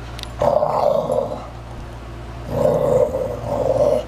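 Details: Playful growling from Archie, a 17-month-old Valley Bulldog: a sustained rumbling growl lasting about a second, a pause, then two more growls close together, over a constant low electrical hum.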